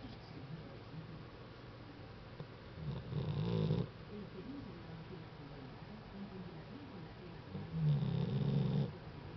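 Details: Dog snoring while asleep indoors: two low, rumbling snores about five seconds apart, each lasting about a second, with quiet breathing between them and faint background hiss.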